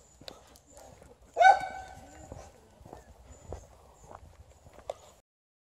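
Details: Liza, an Alaskan Malamute, on a morning walk meeting a new dog, with TJ the Golden Retriever nearby: one loud, drawn-out, harmonic whine-like yowl about a second and a half in, then soft footsteps and scattered faint sounds.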